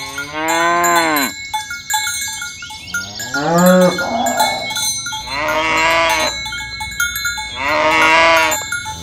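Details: Dozens of tame, fat cows herded along a village road in the morning toward the pen. Four drawn-out, harmonic moos, some falling in pitch, come every two seconds or so over a constant jangle of cowbells.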